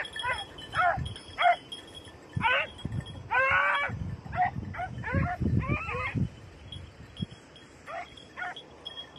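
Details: Red-blue tick and lemon-white beagles chasing hare in training on Crete, 2022; many short sharp yelps and brief bays in an excited irregular chorus, with rustling footfalls and a faint continuous high whine.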